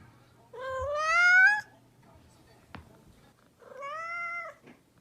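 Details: A domestic cat, described as mischievous, gives two meows: a long harmonic-rich call rising then levelling off, a pause with a soft click, then a shorter, slightly falling second meow.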